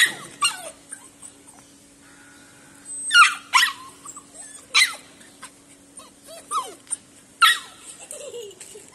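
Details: Labrador Retriever at play with a person: scattered short, sharp yelps and whiny falling squeaks, some several seconds apart, others in quick pairs, over a faint steady hum and quiet background.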